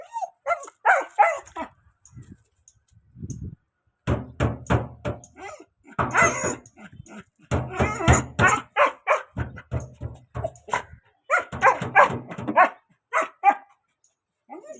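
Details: A puppy hunts for a rat hidden inside a car, barking excitedly in rapid bursts of sharp, noisy barks, roughly three per second, broken by short pauses, while people talk and urge it on.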